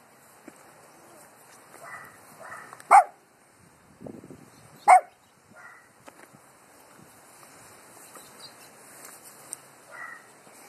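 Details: Dogs barking at the wind: two loud sharp barks about two seconds apart, with softer distant yaps in between and a steady hiss of wind throughout.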